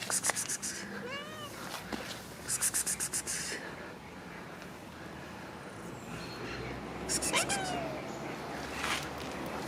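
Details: Cats after rain giving a few short, curving meows, partly masked by repeated trains of rapid broadband clicks and a steady hissing background.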